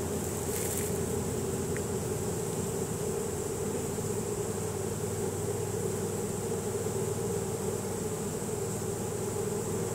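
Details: Honey bees of a swarm marching into their new hive in a chain reaction after smelling the site; a continuous mid-pitched drone without pause, backed by a low rumbling noise and a short crackle near the start.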